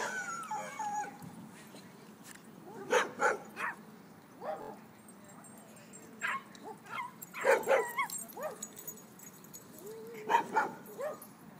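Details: Dogs playing at a dog park give scattered short barks and yips with whiny, rising whimpers in between, irregular bursts spread across the stretch, over a low steady background hum.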